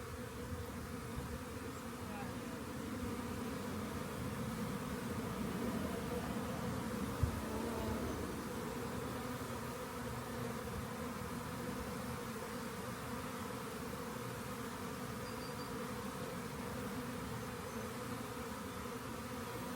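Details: Honey bee swarm found at a rain gauge and then gathered up; a long, steady, droning hum of countless wings that briefly thickens around the middle, with one sharp click partway through.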